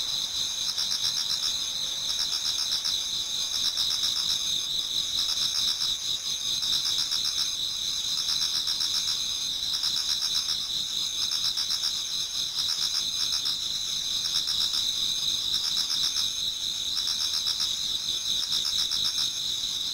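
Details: Autumn insect chorus in a Japanese garden as dawn nears, many singers at once: continuous high ringing trills with rapid pulsing chirps repeating about four times a second, unbroken throughout.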